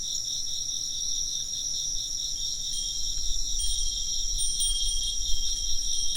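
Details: Insects chirping in a steady dense chorus, high pulsing trills layered continuously, with a wind chime ringing in thin sustained tones from about three seconds on and a low rumble underneath.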